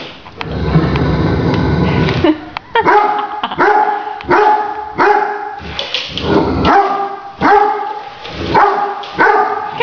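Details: Great Danes reacting to a remote-controlled toy tarantula. Two seconds of loud rumbling noise, then a steady run of resonant barks about once a second, with a person's voice in between.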